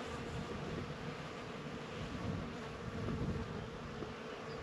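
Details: Bees among flowers outdoors: a steady low buzzing hum holds an even pitch throughout, partly masked by gusty wind rumbling against the microphone.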